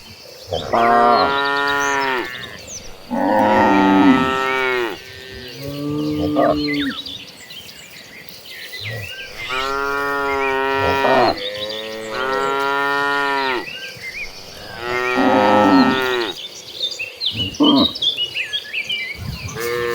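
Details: Herd of dozens of tame cattle walking toward a farm pasture, lowing repeatedly: long harmonic moos of varied pitch, several overlapping, some rising then falling, about every two to three seconds, with faint chirping birds behind.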